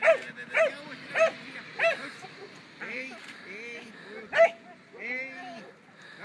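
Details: A 2-year-old German Pinscher in protection training barks in sharp, clipped bursts, about one every half second, then once more.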